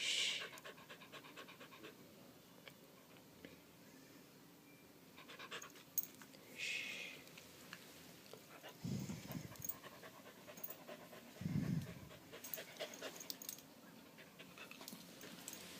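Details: Candy, a pet dog frightened by a fire alarm's low-battery chirp, pants quietly indoors while being calmed; soft, rapid breaths run as faint regular puffs, broken by a few short bursts of a soothing human voice.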